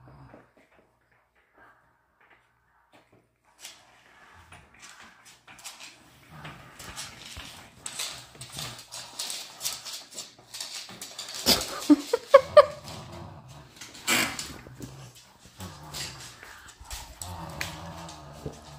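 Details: A Miniature Schnauzer gives short yips and rough growls over scuffling and rattling noises as it plays and tussles with a computer chair.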